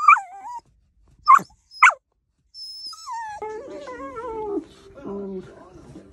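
A Dachshund gives high, thin whines and short yelping bursts.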